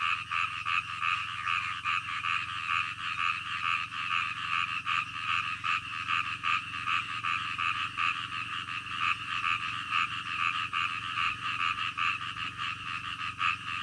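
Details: Night-time frog chorus: continuous overlapping croaks pulsing steadily, many callers blending into a thick rattling wall of sound, with a low background hum throughout.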